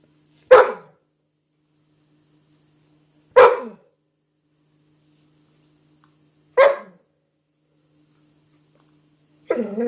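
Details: Dog named Cruz playing with an apple indoors, giving four short, sharp barks spaced about three seconds apart in a quiet small room, the last one slightly longer and rougher.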